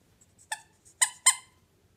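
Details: Bernese Mountain Dog puppy giving three short, high-pitched yipping barks, the first alone and the last two close together, against an otherwise quiet background.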